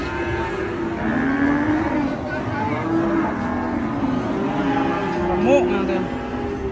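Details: Angry cattle lowing in a continuous, fairly level drone of harmonic moos, one brief upward swoop near the end, against a noisy outdoor background.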